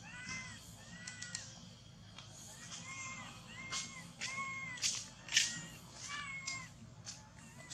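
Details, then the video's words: Baby monkey separated from its mother, shaking and clutching a tree, utters repeated plaintive curved cries, close to two per second at times, mixed with a few sharp clicks and a low background rumble. "Terrible Cry ! Baby Monkey Cry Shacking Body Hug The Tree Lost Mom"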